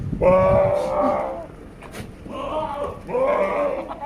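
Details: Sirohi goats at Nisha goat farm in Pushkar, Rajasthan: three loud, quavering bleats in quick succession, the first longest, each nasal and slightly tremulous, with faint voices in the background.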